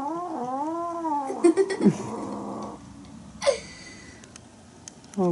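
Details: Bengal kittens playing and romping together, one a feisty boy: a wavering, rising-and-falling growling wail with harmonics, then short yowls and a sharp cry, with a person speaking nearby.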